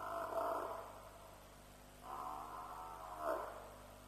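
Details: African buffalo bawling at night by a lions' kill at Djuma, 7 March 2007, roughly 3 am, from a live wildlife stream: three harmonic bawls, the last rising to a sharp peak, with low hum beneath.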